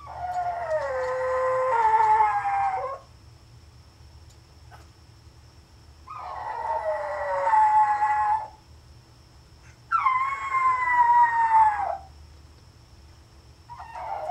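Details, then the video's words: Tiny female Pomeranian named Lilly howling while home alone in a small room: three long wavering howls of two to three seconds each, separated by pauses of about three seconds, the last starting higher and sliding down; faint steady hum behind. "Dog home alone - Tiny Pomeranian Howls!!!"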